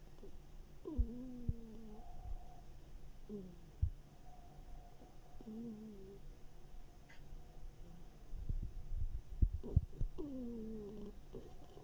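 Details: Mashenka, a one-eared female hedgehog, snoring and snuffling in summer 2021: nasal, whiny tones that dip and waver, coming in short bursts every couple of seconds between soft sniffs and faint clicks.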